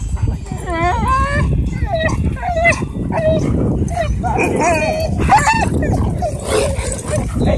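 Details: Husky screaming after an encounter with a pitbull at a dog park: repeated high, wavering yelps and whines, some rising and falling, over steady low background noise and a person's voice calling the dog.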